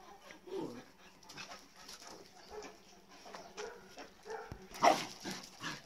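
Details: Lively, playful Golden Retriever puppy at play, giving short whimpering yips and soft sounds in scattered bursts, one louder yelp near the end, with rustling movement and faint human voices in the background.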